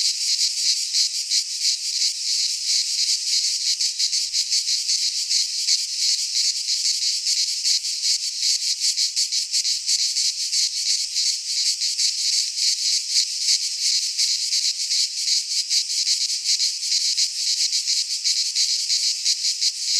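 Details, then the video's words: Cicadas singing in midsummer in a Greek pine forest: a continuous, dense, high buzzing chorus with a steady fast pulsing, about three pulses a second, holding even loudness throughout with no other sounds. "Cicadas singing in midsummer - Nature sounds from the Greek fauna - Sounds of cicadas"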